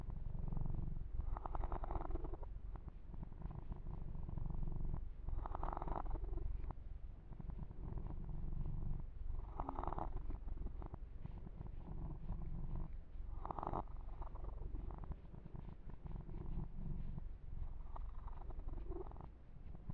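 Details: Long steady purr from Yumak, a pet kitten enjoying a massage, a low drone broken by rhythmic swells of fur-rubbing noise roughly every four seconds.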